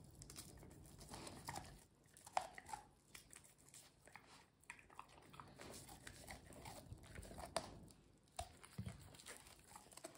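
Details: A Golden Retriever gnaws an ear of corn for the first time indoors. Wet chewing alternates with bursts of loud crunching and clicking bites and short pauses, with sharp snaps around two and a half, seven and a half and eight and a half seconds.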